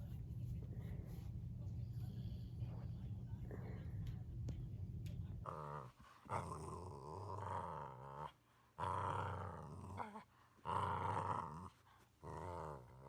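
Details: Boxer dog snoring while asleep. A low, buzzy, continuous drone fills the first half. It gives way to louder, rasping snore bursts of one to two seconds each, separated by short quiet pauses.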